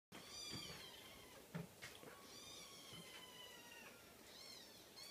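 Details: Cream Scottish Fold kitten gives high, thin, drawn-out mewing calls that run almost continuously, some wavering and sliding down in pitch, over a steady soft background hiss with a few faint knocks.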